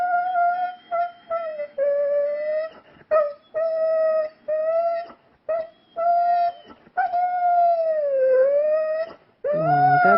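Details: An indoor pet dog howls when its owner asks it to sing. It gives a series of sustained, steady, musical tones with rich overtones. The notes come in bursts of about one to two seconds, with a longer dipping note near the end.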